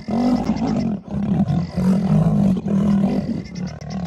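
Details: Male lions fighting over a lioness: harsh, rasping snarls in four bursts of about one second each, a strained mid-pitched growl with short breaks between bursts.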